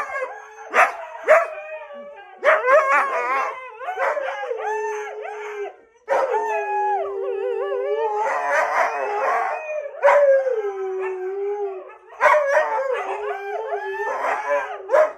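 Several Siberian huskies howl and yodel together in a wavering, drawn-out chorus to greet their returning owner.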